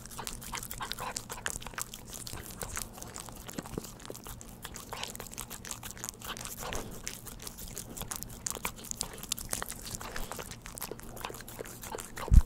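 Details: A pet dog eating churu treats, no talking: dense, rapid wet clicks and smacking licks run steadily throughout, with a soft low hum underneath and one sharp thump at the very end.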